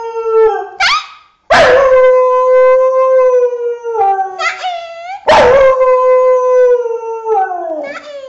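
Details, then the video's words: Dog howling in long, steady, drawn-out tones, each starting with a sharp rising yelp and then holding level before sliding down at the end; three main howls with short yips between. "Funny Dog Howling Videos"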